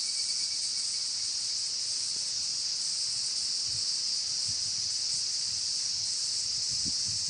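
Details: Cicadas and evening cicadas, higurashi, singing together in a chorus on an evening walk with a corgi named Coco; a steady, dense high-pitched buzzing drone fills the whole recording without pause, with faint low rustling beneath.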